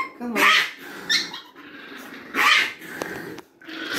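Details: Chihuahua growling as a stranger tries to pet it indoors: harsh, broadband snarling bursts around half a second and two and a half seconds, with a short bark-like snap between and a human voice in the background.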